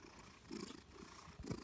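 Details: Happy, fat Maine Coon or Manx type house cat purring indoors while drooling; steady low rumbling pulses that swell and fade, with a breathy noise behind and no other clear sounds.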